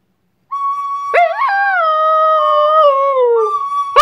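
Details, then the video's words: Leeloo, a 4-year-old Borador, howls while a recorder is played: a long wavering howl sliding slowly downward beneath a steady high recorder note, which returns alone at the end. "Borador howling to a recorder"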